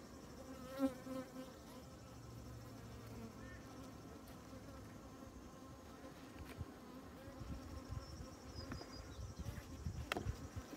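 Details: Honey bees crawling over honeycomb filled with honey give a steady low drone with layered harmonic hum, many wings beating together; a few soft thumps and brief fluctuations in intensity break the continuous swarm sound.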